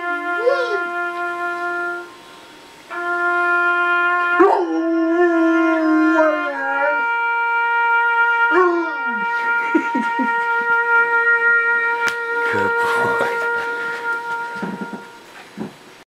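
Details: Coonhound howling along to taps as it mourns: a sustained bugle melody of long held tones, with a rising and falling dog howl joining mid-way and yips toward the end.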